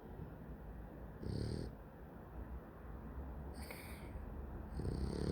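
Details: Dog asleep, snoring loudly: low, rough, rasping snores around one and a half and five seconds, with a faint hissing breath between them.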